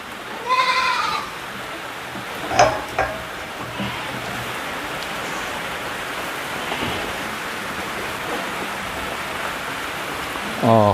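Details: Black goats at a Jeju farm with about 3000 animals, on a rainy day: a wavering harmonic bleat near the start, a short sharp cry at two and a half seconds and another bleat at the end, over steady rain hiss.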